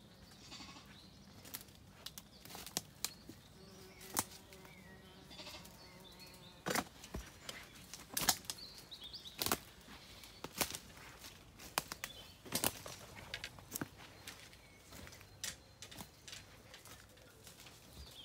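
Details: At sunset on a County Kilkenny farm in Ireland, sheep settle for the night after feeding as a lamb calls and a ewe replies; a sustained wavering bleat in the first third, then sharp knocks, thuds and shuffling.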